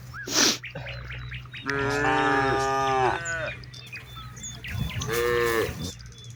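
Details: A cow from a herd of hundreds in a wide rice field calls companions home at dusk. One long, quavering moo, then a shorter rising one, with scattered bird chirps and whistles around.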